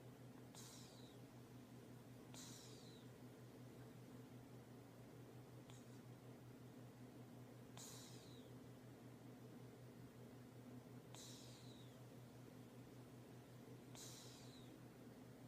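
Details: Sleeping cat snoring indoors: soft breathy whistles that slide downward, repeating every two to three seconds over a steady low hum.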